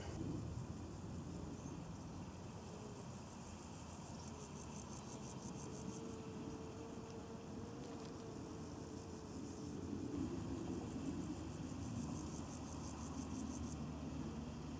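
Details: Two grasshoppers on a leaf at Bodenheim; high, rasping pulse trains come in two bursts of a few seconds each, separated by quieter gaps, over a steady low rumble of distant traffic.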